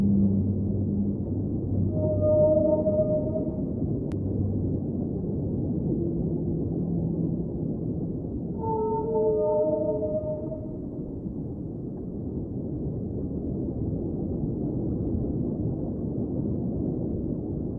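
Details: Singing whale in an underwater soundscape: two bursts of sustained, harmonic-rich moans several seconds apart, each wavering slightly in pitch, with deep low hums between them over a steady underwater wash.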